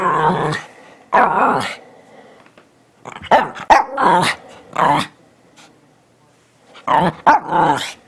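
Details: Teddy Bear Shih Tzu Bichon Frise cross "talking": short groaning, warbling woofs in separate bursts, a quick cluster of three or four near the middle and a final pair after a pause, with quiet gaps between.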